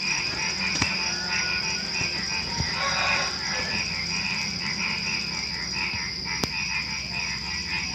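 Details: Night chorus of frogs just before dawn, with crickets and other small creatures: pulsing croaks blur together in a steady wash, under a constant high insect trill, with a few sharp clicks standing out.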